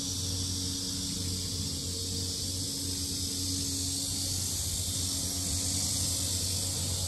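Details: Very loud cicadas at the lotus park of Sinjeongho, Asan, South Korea, forming a continuous sizzling high drone that never pauses, layered over a low steady hum and rumble.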